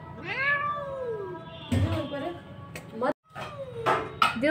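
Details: Cat meowing once with a falling arched cry, followed by clattering household noises, further short mewing fragments and faint voices.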